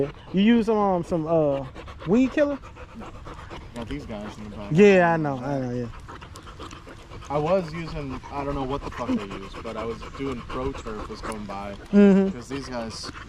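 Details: On a long evening at the park, a Staffordshire Bull Terrier chats among other male dogs. Bursts of bending, yowling whines rise and fall in pitch, louder near the start, middle and end, with panting between.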